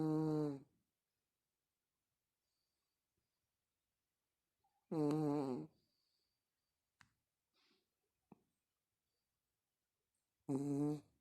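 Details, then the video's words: Pekingese in deep sleep, snoring: three loud, rough, buzzy snores spaced about five seconds apart, with faint small rustles and clicks in the quiet gaps between them. "Крепкий сон пекинес с храпом"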